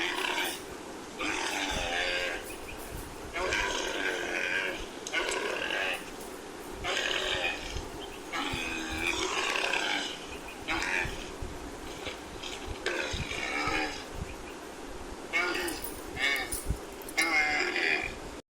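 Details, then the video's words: Camel giving a long series of rough, gurgling groans and bellows: harsh harmonic bursts of one to two seconds repeated with short pauses throughout. "Camel Sound Effect"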